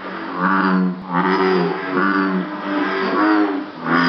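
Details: Bullfrogs at Jurong Frog Farm, Singapore, possibly calling as some sort of mating behaviour; deep groaning notes with a buzzy, harmonic-rich texture, repeated roughly once a second in long drawn-out pulses.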